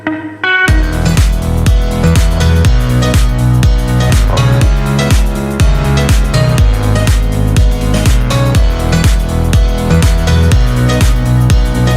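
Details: Loud electronic dance music with a driving four-beat rhythm and a synth melody starts after a brief quiet opening, and no animal sound is heard.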